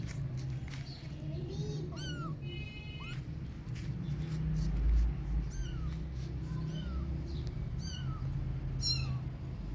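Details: Kittens playing outdoors, hard to catch; scattered short rising-falling meows over several seconds, some high and thin, amid steady low rumbling background noise.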